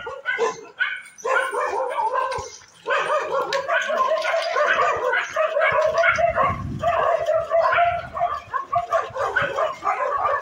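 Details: Street dogs fighting, several animals barking, yelping and snarling in a dense, overlapping tangle of harsh calls that barely pauses, with a sharp burst at the start and a continuous scuffle throughout.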